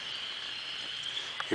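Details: Chorus of frogs heard during an April 5th Sunday morning nature walk at 52 degrees, a continuous shrill trilling band with a few soft knocks and a handling bump at the end.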